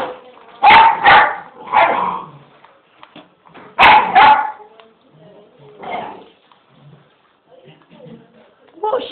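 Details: English bull terrier pup at home telling its owner off: two bursts of loud, grumbling barks and whining yowls, each doubled, a few seconds apart, with a person speaking quietly in between.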